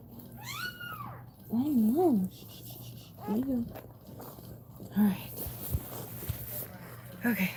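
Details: Indoors during a dog's labour, a Cane Corso cries: a brief high arched squeal, then repeated wobbling, up-and-down whines in separate bouts over several seconds, with soft human speech and a steady low hum.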